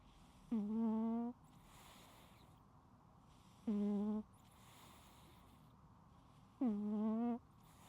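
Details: Loud snoring from a sleeping house cat, recorded without edits: three steady, buzzy, humming snores of under a second each, arriving about every three seconds, separated by hissy inhalations against a quiet indoor background.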